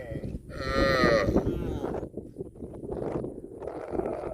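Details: A group of tame cattle feeding in a green field; one bright, strongly harmonic moo-like call lasting under a second, followed by low rustling and chewing noise.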